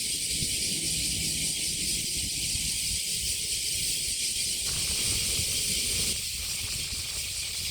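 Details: A high cicada drone in summer at Kasai Rinkai Park, Tokyo, Japan. The buzzing is continuous, with its tone shifting near the middle and dropping slightly in loudness toward the end, over a low background hum.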